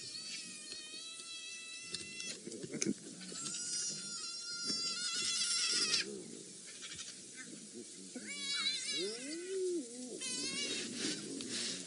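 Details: Spotted hyenas at an elephant carcass in Djuma Game Reserve, moving cautiously as more hyenas arrive and a fight looms; thin whistled squeaks and squeals, wavering and overlapping, come in clusters, with a brief bending call pair near the end.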